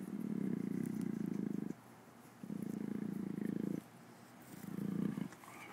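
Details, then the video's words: Captive Amur leopard purring: three long low rumbling bouts, each about one to one and a half seconds, with brief quiet breaths between, steady throbbing texture and faint background hiss. "Amur Leopard "Anju" Purrs"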